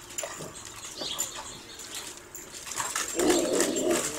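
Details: Dog chasing a squirrel gives a low strained growl-whine that swells over the last second, after scattered quiet rustles and faint whimpers against constant high hiss.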